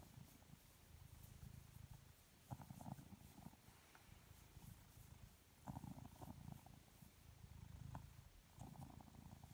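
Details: A lazy, relaxed blue British Shorthair cat purrs steadily, a low rumbling hum that swells and fades with each breath.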